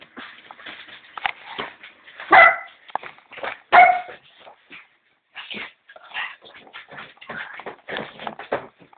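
A small Griffon dog gives high, sharp barks mixed with whines and yips.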